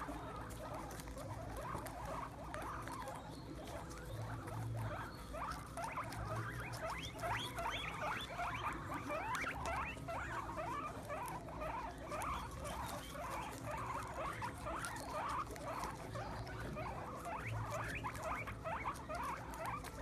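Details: A group of excited guinea pigs feeding on sprouts on the ground give dense, continuous high squeaks, roughly two a second, overlapping into a chorus over constant chewing and rustle.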